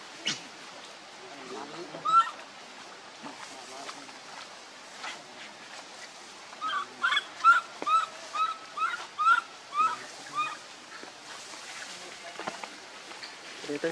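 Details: Young monkey Leo, crying for milk from its mom, gives a long run of about nine rhythmic wailing calls, each rising and falling, roughly two every second, after quieter scattered rustling and shuffling.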